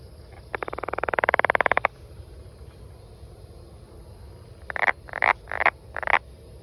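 A brown banana frog gives a rapid, rising rattle of clicks, then several short buzzy bursts.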